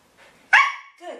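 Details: Female German Shepherd being trained to bark on the "speak" command gives a single sharp, harsh bark, followed by a softer, lower sound.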